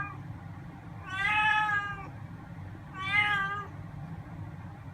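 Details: Chatty tabby-and-white house cat, three to ten months old, utters two wavering meows about two seconds apart over a low steady background hum.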